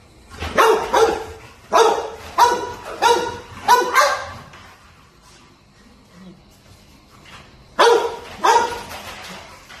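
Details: American Bulldog puppy barking while playing: a burst of six rapid, rough barks, a pause of a few seconds, then two more barks.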